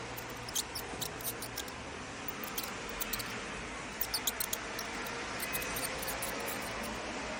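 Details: High-frequency mouse squeaking: thin, piercing squeaks come in rapid irregular bunches, a lively series at the start, a pause, then another tight cluster and sparse follow-ups, all above a constant background hiss.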